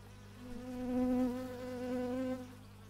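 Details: Close pass of a buzzing bee, recorded in stereo on an x/y microphone: a loud, even drone with strong overtones rises, dips slightly, then fades after about two and a half seconds, with a low hum beneath.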